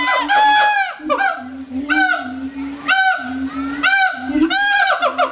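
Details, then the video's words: Howler monkeys at New Orleans' Audubon Zoo in August 2008, getting really loud; rough, booming roars in bursts about once a second, each swelling then breaking, over a continuous low drone. "Howler Monkeys"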